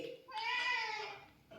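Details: Indoor cat giving a single drawn-out meow, a clear harmonic cry that swells, holds steady for nearly a second and then fades, in a quiet small room.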